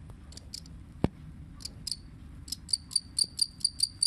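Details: Two-spotted cricket starting up after a sharp knock. Scattered, uneven high chirps settle into a steady run of bright pulsed chirps, about four to five per second, over faint low room rumble.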